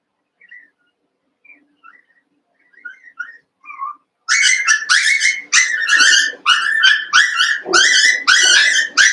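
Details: Eight young Cavalier King Charles Spaniel puppies, about a month old, at play in a pen; faint squeaks give way to a fast series of shrill, high yelps and whiny barks, nearly two per second.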